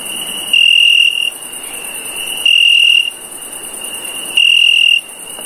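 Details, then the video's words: Cricket chirping at night, three sustained shrill trills of roughly half a second, repeating about every two seconds, with a thin constant high-pitched background hiss between them. "Cricket Chirp"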